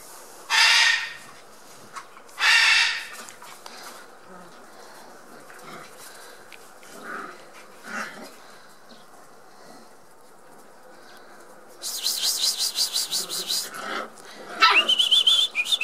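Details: Six-week-old Border Collie puppies, the litter of Hada and Wind, playing together indoors: two loud breathy bursts, then softer scuffling, a rapid pulsed rattle, and a short rising whine at the end.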